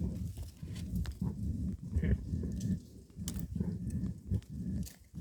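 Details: During a fight, a badger keeps up dense, low, rumbling grunts with short pauses. Sharp clicks and knocks are scattered throughout.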